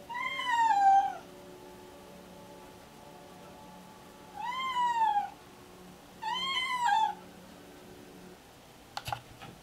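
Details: Alice, a deaf pregnant domestic cat showing pre-labour signs, excited and meowing constantly indoors: three loud drawn-out meows, each rising then falling, over a steady low hum, followed by a few sharp clicks near the end.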